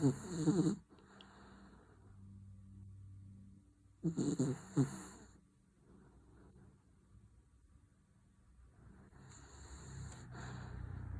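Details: Louis, a female Dachshund aged seventeen and a half, snores as she sleeps: short rough snorting snores come at the start and around four seconds, with softer breathing between and a low steady hum in the background.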